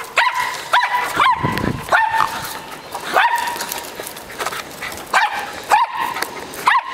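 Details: Dog at play with a ball, letting out short high-pitched barks and yips every half second to second, each a sharp bright burst, between bouts of rustling and thumps.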